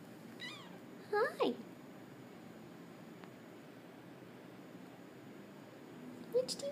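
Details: Sammy, a Domestic Shorthair cat up for adoption, gives a short sliding meow followed by a brief second one, then a final meow after a quiet pause, with a person speaking softly indoors.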